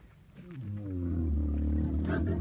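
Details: Camel bellow that swells from a quiet start into a deep, sustained, harmonic-rich rumbling roar, ending with a brief rasping burst.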